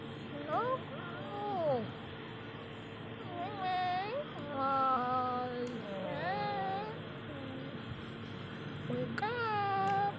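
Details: Kitten waking from sleep gives short, high mews that rise and fall, several spaced a few seconds apart, while a woman talks softly to it in Japanese and English.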